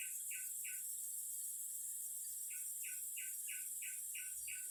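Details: Singing cicadas in a natural setting: a steady, high, hissing buzz runs unbroken through the whole recording, with a row of short, evenly spaced lower chirps pulsing over it in two bursts.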